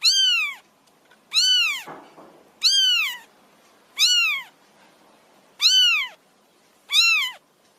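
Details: Six piercing, downward-curving meows from a wild kitten begging to be fed, repeated fairly steadily about every 1.3 seconds, with a brief rustle after the second cry.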